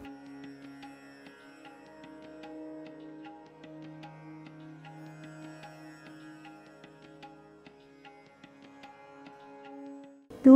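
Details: Only sitar and tabla music plays throughout, with no animal sound.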